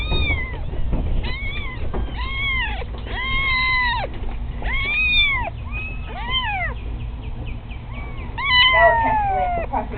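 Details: Loud kittens meowing in rapid, overlapping bursts, arched rising-and-falling cries coming thick and fast, several voices crowding together, with a low hum in the background.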